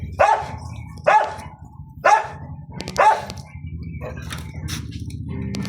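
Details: Dog barking in a series of four sharp, loud barks about once a second, then softer yelps, with a person speaking Filipino nearby.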